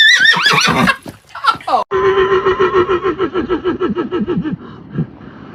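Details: A horse whinnies with a wavering high cry, then a long run of pulsed, falling notes, about three or four a second, that fades away. Faint human voices can be heard around it.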